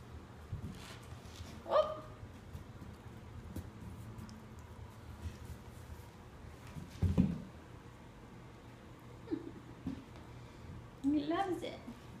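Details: Havok, a 10-week-old sable German Shepherd puppy, working at his first Kong, which is filled with peanut butter, indoors. A short whining yelp comes near the start and a cluster of whines near the end, amid chewing and handling noises.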